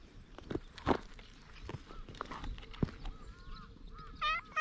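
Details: Stray cat with unusually patterned fur, pleading in cat language before climbing onto a lap, recorded on a GoPro HERO8: a short, loud, rising harmonic meow near the end, after faint tonal mews amid rustling and handling noise.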